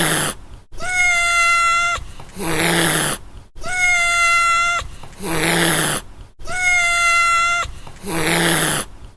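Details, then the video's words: Domestic cat giving a steady, even-pitched meow about a second long, followed right away by a breathy, broadband hiss; the same meow-then-hiss pair repeats three times in a regular loop, with short silences between. "Cat Meow and Hiss"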